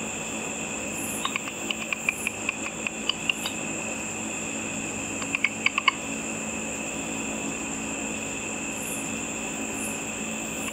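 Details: Bats hunting insects in darkness over a lit pool, their ultrasonic calls made audible by a simple frequency-divider bat detector: sharp dry clicks in quick runs of about ten, then a second cluster near six seconds, over a steady electronic whine.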